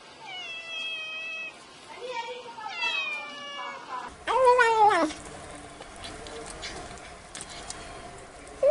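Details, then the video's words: Kitten meows, cute and plaintive, a few drawn-out wavering calls with one louder, sharply arched meow near the middle, over a continuous murmur of background noise. "tiếng mèo kêu meo meo mèo con kêu dễ thương"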